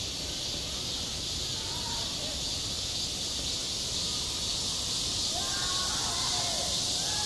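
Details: Summer cicadas at a school playground make a loud, steady, high hissing buzz; faint distant calls or voices rise briefly beneath it near the end.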